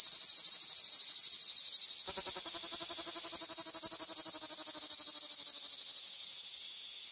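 Cicadas buzz in a loud, steady, high-pitched drone with a fine rapid pulse running through it.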